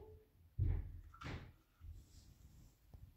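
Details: Dull knocks and a scraping, door-like thud fill a small indoor space. No animal call stands out.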